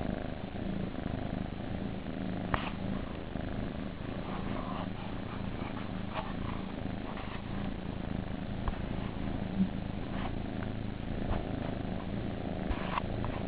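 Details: Nursery kittens purring in a steady low throbbing hum that carries on without pause, with occasional light taps and rustles overhead.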